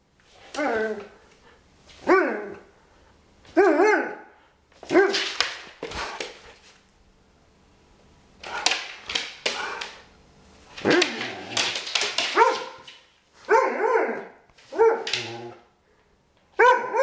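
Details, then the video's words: Irish Setter barking repeatedly over seventeen seconds, bursts of rough barks in an irregular rhythm, some drawn out and whiny, in a quiet setting. "Irish Setter Ressu"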